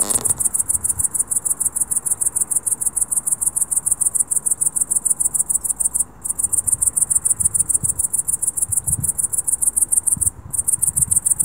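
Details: At dusk a cricket keeps up a loud, shrill, evenly pulsed chirping, steady and nearly continuous with two brief gaps, over soft low-pitched background noise.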